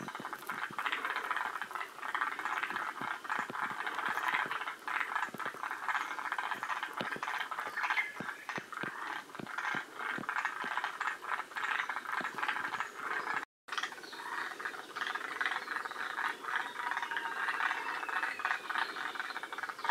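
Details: Several forest green tree frogs call together at Shiriya in Aomori, a population near the species' northern limit in Japan. A busy rattling chorus of clicks and chattering pulses runs for the whole stretch, broken by one brief silent gap.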